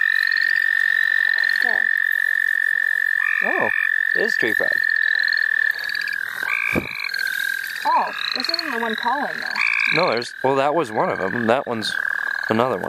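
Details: Steady high frog trills in the St. Olaf College Natural Lands, where frogs are being caught for fun. The trills run throughout, while people talk over the chorus in the second half.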